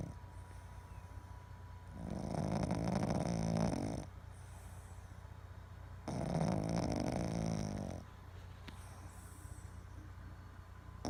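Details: Boston Terrier, a male pet dog, asleep and twitching in his sleep, at one point with tongue out and eyes rolled back; two long, loud, rasping snores of about two seconds each, separated by quieter breathing pauses.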